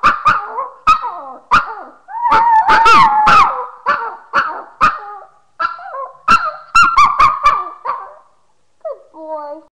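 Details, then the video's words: Pet dog singing, recorded by webcam in March 2011; wavering, tonal howled notes broken into short bursts with sharp clicks between, ending in a few quieter whines. "BOGO THE BEST SINGING DOG"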